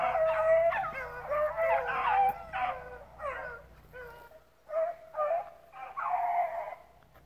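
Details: Rabbit dogs, pups included, chasing rabbits at a hunt club. Loud, close baying comes in quick drawn-out howls and yelps at first, then thins to separate barked bursts before a final howling cluster.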